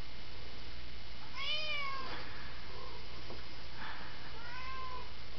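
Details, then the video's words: A worried domestic cat lets out a clear, rising-then-falling meow, followed a few seconds later by a softer second meow, over steady background hiss. "Worried Cat"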